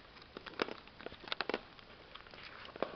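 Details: Soft clicks, taps and light footsteps in a small indoor room, with no animal voice.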